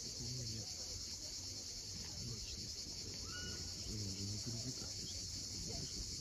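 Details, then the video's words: Sunset cicada chorus on the cliffs of Cape Fiolent in Crimea, a constant high sizzling buzz without breaks, joined by a short clear whistled bird note midway and soft low murmurs of surf. "Cicadas at sunset."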